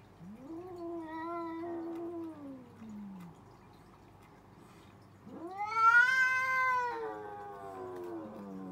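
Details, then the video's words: Cats in an argument: a rising moan levels into a sustained howl that drops away. A louder, harsher yowl follows, climbing to a strained peak before sinking slowly. "Cats Arguing | Cats Talking Each Other"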